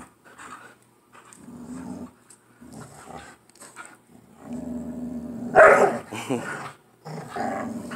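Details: Two playful pit bull dogs tussling over a toy at home; a low steady growl rumbles through, broken by one loud sharp snarl midway, then more growling.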